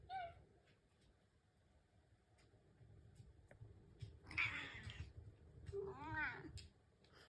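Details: Pet cat at home in the morning, impatient for breakfast: after a brief early mew and a quiet spell, two loud, wavering meows follow a second apart, the second bending up and down, with a faint room hum beneath.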